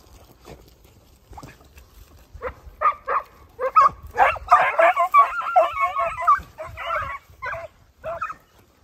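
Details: Segugio Italiano hounds, puppies of 8 and 17 months together with their father Geko, giving a rapid, overlapping run of mid-pitched barks and bays that builds to a dense chorus midway, then thins into spaced single barks.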